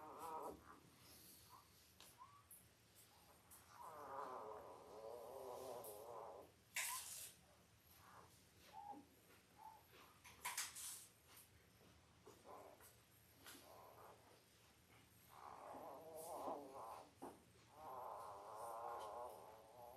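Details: Five-day-old Labrador Retriever puppies from Belle's litter of five males and three females, born October 15, 2023, on a live puppy cam. Bursts of wavering, high whining squeals come from several pups at once, with rustling and soft bumps between.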